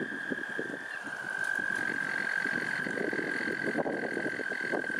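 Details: Toad song at Lake Cheston: a sustained high, even trill running through the whole stretch, over a busy patter of lower croaks and rustling noise.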